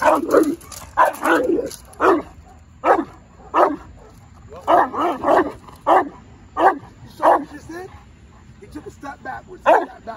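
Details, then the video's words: Presa Canario during its first defense drive training session: loud, deep barks in steady bursts of about one every half second to second, with short pauses between volleys. "Building defense drive (presa canario)"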